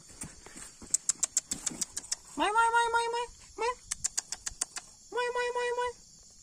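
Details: Leopard cat kitten being hand-fed milk, giving steady, flat, high mews in three bursts, each held under a second, over a rapid run of sharp clicking sounds and quiet talk nearby.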